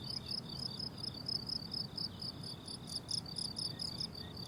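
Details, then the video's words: Crickets calling on a blooming summer meadow: several high, pulsed chirping bands repeat in an overlapping chorus, with a soft low rumble of distant background noise beneath. "Relaxing Cricket Sounds on a Summer Meadow"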